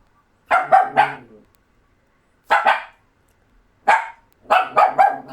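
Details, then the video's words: Doberman puppies barking: short sharp barks in quick pairs and triples, bursts spaced a second or more apart, with a faint growly tail after the first group; quiet background otherwise. "DOBERMAN PUPPIES BARKING"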